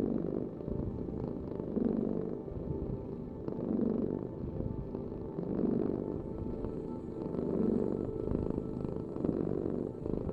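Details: A cat purrs in a low, even rumble that surges softly about every two seconds as it breathes, over a faint constant hum in the background.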